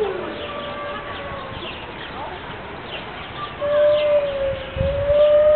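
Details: Siberian wolves, five together at Berlin Zoo on a rainy morning: a howl fades downward at the start, a quiet pause with distant chirps follows, then a new steady howl rises and holds to the end.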